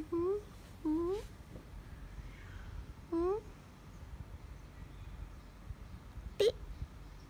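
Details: Pet cat Kathi in a small room giving short upward-sliding chirping meows, two close together, another after a pause and a fainter one later, with soft background noise and faint voices.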